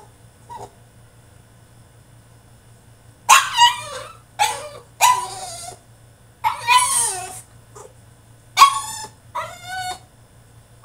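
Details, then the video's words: French Bulldog throwing a tantrum in his cage: a quiet start, then bursts of shrill yelping whines with rising and falling tones, several in quick succession separated by short pauses. "FRENCH BULLDOG THROWS TANTRUM IN HIS CAGE!!"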